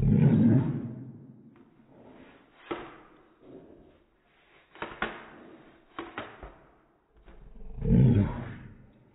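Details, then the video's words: Daisy, an Airedale Terrier, barking in slow motion indoors: deep, drawn-out, roaring bursts at the start and near the end, with sharp thuds and quieter rumbles between. "Daisy the Airedale, Barking in Slo-mo"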